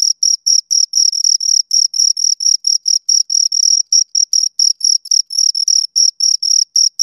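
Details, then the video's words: High, rasping chirps from two crickets recorded very close, bursts of varying length tumbling over one another in a quick, uneven beat, with no other sound around them. "Two Crickets Chirp Sounds for Two Hours Right on Your Ears"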